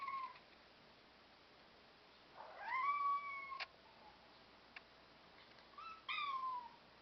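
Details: Black European Shorthair cats in a small room: a short meow, then a long meow rising and holding level, a sharp click, and a final falling meow. Faint ticks in between.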